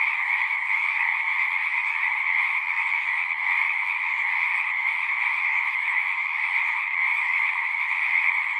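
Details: Singing frogs heard as a constant massed trill in two stacked pitch bands, even and unbroken throughout, with only a faint low rumble beneath.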